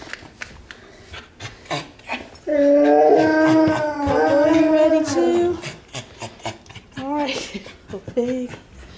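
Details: Domestic dogs waiting for dinner at supper time give a sustained, wavering howl lasting about three seconds, then shorter rising whines. A woman talks and soft footsteps and knocks are heard.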